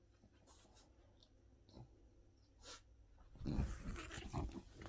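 After a few quiet seconds, a French Bulldog breaks into low, rough, throaty barks mixed with growly grumbles. It is answering the neighbouring dogs' barking, and a person speaks softly in the room.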